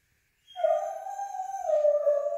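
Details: Foxhound female howling, practically crying, after being left behind when her owner went for a run; one sustained mournful tone that starts abruptly, holds steady with rich harmonics, dips slightly and continues.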